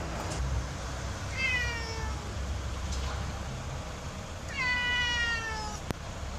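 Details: Pet cat trying to eat a bathroom palm tree meows twice: a short descending mew, then a longer, clear falling meow about three seconds later, with a soft click near the end over a low room hum.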